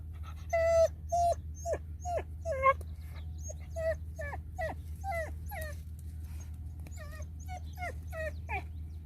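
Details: Greyhound dog whimpering: high, wavering whines and short yelps, brief strokes repeated about twice a second, over a steady low hum.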